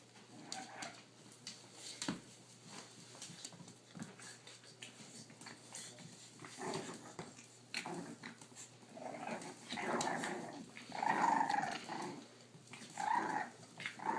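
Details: Boston Terrier father Primo playing indoors with his puppies, 3-month-old blue Briar and 5.5-week-old Vdara and Asher, recorded on a cell phone; soft scuffling at first, then bursts of playful growling and yipping in the last five seconds.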